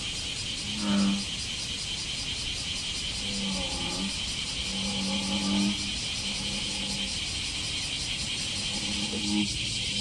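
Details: American bullfrog calling at a dragonfly pond on July 5: deep, low droning croaks of about one second each, five spaced bursts over ten seconds, under a steady high insect buzz.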